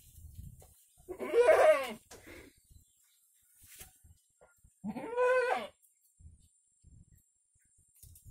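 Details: Active kampung goat bleating twice, each a harsh quavering cry under a second long, about three seconds apart, with faint thumps and rustles between.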